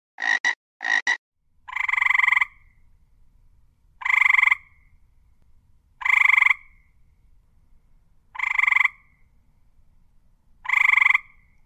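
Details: Frog giving two quick doubled rattling bursts, then five harsh, nasal, buzzy croaks spaced about every two seconds, each roughly half a second long, against an otherwise quiet background.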